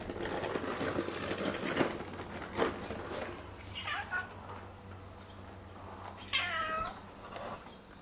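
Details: Pregnant orange classic tabby cat, described as very greedy, gives two meows: a short, wavering one midway, then a louder, drawn-out mew rich in harmonics that bends down and levels off, after early clattering and rustling noises.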